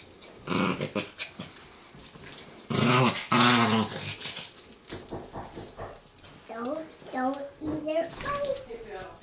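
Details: Chihuahua puppy fighting another chihuahua, with rasping growl bursts followed by a series of short rising whiny yips, over a constant high-pitched hum and occasional human speech.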